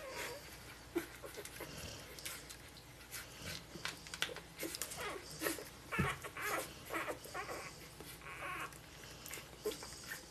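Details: Golden Retriever puppies five days old, from a 2013 litter, whimper and squeak in short, irregular bursts.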